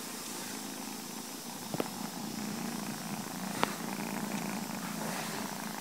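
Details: Purring from a domestic cat mother nursing and feeding milk to her kittens, heard as a steady low rumble under broadband hiss, broken by two sharp clicks.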